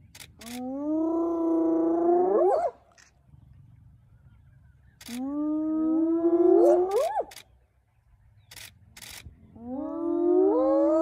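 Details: Spotted hyenas of a clan mobbing a young male lion early in the morning at Elephant Plains, northern Sabi Sands, South Africa; three drawn-out tonal calls, each climbing and ending in a sharp upward sweep, roughly every four seconds, with scattered clicks between.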